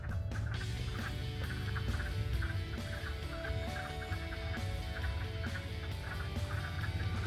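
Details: A chorus of wood frogs at a spring vernal pool, where they lay their eggs, gives overlapping, duck-like clucking calls, with a low rumble behind them.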